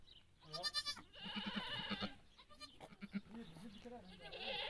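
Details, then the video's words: Domestic goat bleating while giving birth, watched live by onlookers: a short, strongly harmonic wavering bleat near the start, followed by overlapping human voices talking in Arabic. "معزة وهي تولد"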